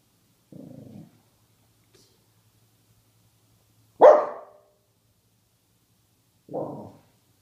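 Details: Jack Russell Terrier named Cash, his head stuck in a milk carton, still barking: three short muffled barks spaced a few seconds apart, the middle one loudest and sharpest, the first dull and low, in an otherwise quiet room.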